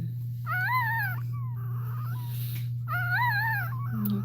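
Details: Cane Corso indoors crying while another dog, Cashmere, is in labour: two long high whines, each wavering up and down with rich overtones, separated by a shorter softer whimper, over a constant low electrical hum.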